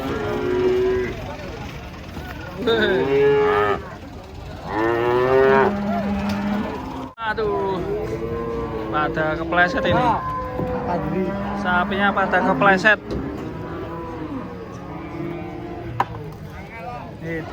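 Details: Cattle unloading from a truck, a herd lowing almost continuously, with deep moos and higher, wavering bawls overlapping and a sharp bang midway, over a background engine rumble.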